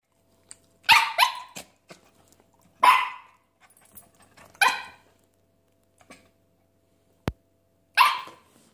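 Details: A Havanese dog demanding chicken, giving a series of sharp, loud barks in short bursts, about five over nine seconds, between quiet gaps; a single click near the end.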